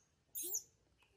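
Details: Newborn baby monkey answering its mother: one short, shrill squeal lasting about a quarter second, with a fainter rising lower tone beneath it, then quiet.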